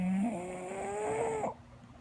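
An English bulldog snores, a low rasping, rattling breath that fades out abruptly.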